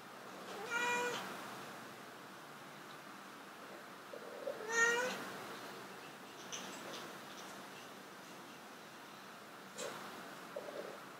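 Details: Two domestic cats trying to mate indoors, short harmonic meows around 0.8 and 4.8 seconds, the second rising slightly, with long quiet gaps and faint room noise between calls.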